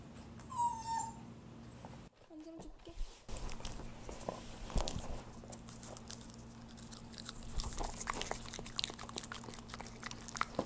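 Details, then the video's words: Pet dog at home eating churu treats, recorded as no-talking ASMR: a short high whine-like note at the start, then a quiet indoor stretch of soft wet licking and smacking clicks, with a steady low hum underneath. "우리집 강아지 츄르를 좋아해┃강아지 먹방"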